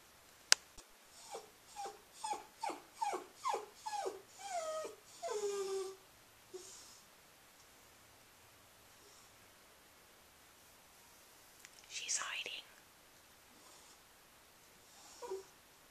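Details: Scruffy, a female Cairn Terrier bought as a pet-store pup, whines while walking around with her stuffed hedgehog after dinner: a quick run of high, falling whimpers about every half second, then near silence with a soft rustle.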